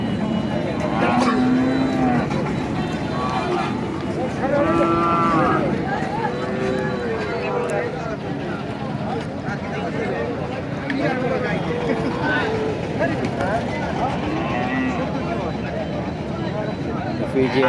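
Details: Heifer calf at the Nandail Chourasta cattle market, 10/04/2025. A few short, low moos come early and midway, buried in a long stretch of constant crowd talk, bargaining voices and background music.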